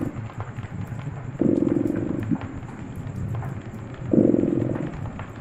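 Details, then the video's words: A purring cat near a cozy fire, its rumble rising into two pronounced gravelly bursts nearly three seconds apart, softer purring between them and light crackles of burning wood. "Purring Cat"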